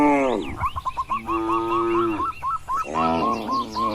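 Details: Tame cattle in a spacious livestock pen: a short low moo, then a long sustained bellow, then another moo, with rapid high chirping notes repeating throughout.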